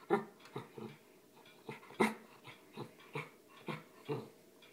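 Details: Shetland Sheepdog growling on command: a string of short, harmonic grumbling bursts, about eight in under five seconds, spaced irregularly with a few louder peaks, while a person speaks briefly beforehand.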